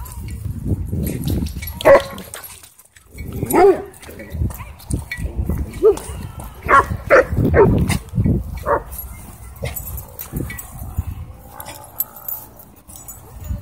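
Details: Dog playing at a dog park, its owner worried it might start a fight, though the behaviour is play: sharp barks come in irregular bursts, about six in all, spaced one to two seconds apart, over people's voices and outdoor park noise.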